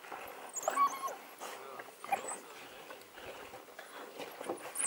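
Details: Wild dogs in Africa working to dig out a warthog hiding in its burrow, giving brief tonal whines and squeaks at irregular moments over steady scuffling and digging noise.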